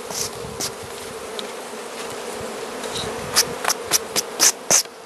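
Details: Carniolan honey bees in a hive being fed by the Mountain Camp method, Southern Finland, 16 March 2017, +3 C outside; even droning hum beneath a run of sharp high clicks near the end.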